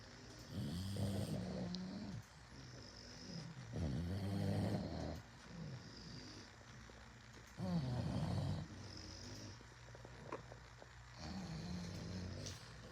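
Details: Indoors, bulldogs snore loudly enough to drown out the TV: heavy, low, rattling pulls, some with a rougher snort on the inhale, quiet pauses between breaths, over a faint steady hum.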